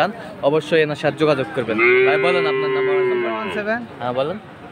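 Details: Friesian and cross-breed bull calves at Aftabganj cattle market, Dinajpur, on Saturday 18 March: a long, steady, level bawl of about two seconds rises out of choppy market talk, with voices before and after.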